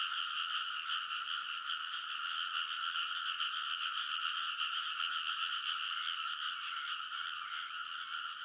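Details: Frogs in a dense night chorus along rice paddy ridges in Kōnosu, Saitama, Japan, at midnight in early summer, recorded with a TASCAM Portacapture X8; overlapping rapid croaks merge into a steady, continuous droning wall of sound.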